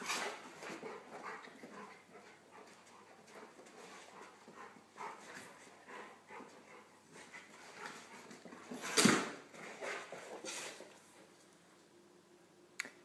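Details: Golden retriever Nelson and his Pomeranian poodle friend Buster playing together, Buster nipping Nelson's ears. Soft snuffling and panting throughout, then a single sharp, loud yelp partway through and a brief click near the end.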